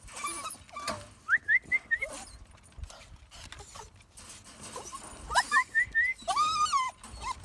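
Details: Jack Russell Terrier whimpering in runs of short rising squeaks, four or five per burst, ending with a longer, drawn-out wavering whine; faint background noise between bursts.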